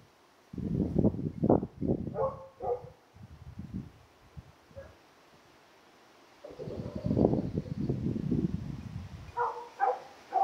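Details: Karelian Bear Dog, a female recorded in June 2016 seeking friendly attention, with stretches of rough, low rustling and huffing and a few short whimpering yips, then a run of higher, tonal whines in the last second.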